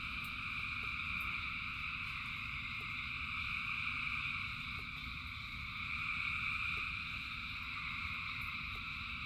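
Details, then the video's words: Thousands of frogs keep up a seamless trilling chorus in the rain, swelling slightly in places, with low rain noise and light drips underneath. "Frogs in Rain 2 Hours of Frogs, Thousands of Frogs Singing"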